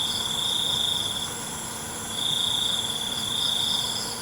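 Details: Crickets at night: a high, steady trill holds for over a second, fades briefly, then returns for a longer stretch, over a constant shimmering chorus of other high-pitched insects.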